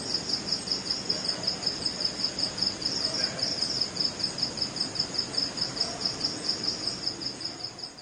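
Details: Night chorus of crickets in West Bengal, India, singing their mating call: rapid, regular high chirp pulses repeating evenly throughout, over a soft, constant background noise.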